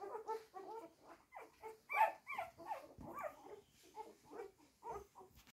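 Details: Hungry one-week-old blue roan Cocker Spaniel puppies, described as very strong, whimper and squeal in a busy, overlapping chorus while waiting to be fed.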